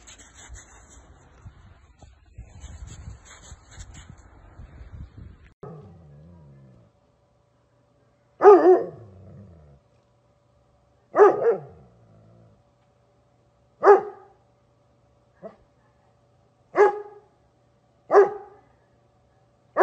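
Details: Doberman playing in the snow gives loud single barks, each a sharp burst spaced two to three seconds apart, after a quieter opening of rustling and faint voices.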